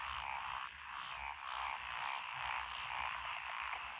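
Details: Massed frogs call in lotus rice paddies in Echizen, Fukui, Japan, on 12 June 2021, a mix of Japanese tree frogs, pond frogs and green tree frogs. A thick, unbroken croaking swells and fades in quick rhythmic pulses.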